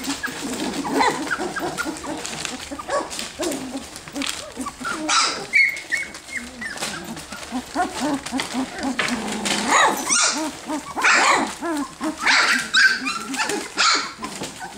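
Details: Ten F1B Standard Goldendoodle puppies at three weeks old, just learning to move, bark and play fight; overlapping high squeaky whines and yips, short rising cries and soft grumbling noises, with scuffling movement throughout.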